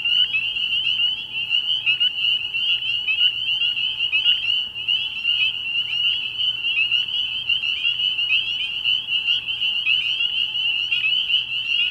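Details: Early-year night chorus from a frog pond, spring peepers massed together: an unbroken, piercing high trill of overlapping peeps, loud and steady throughout, with frequent crisp individual calls rising above the mass.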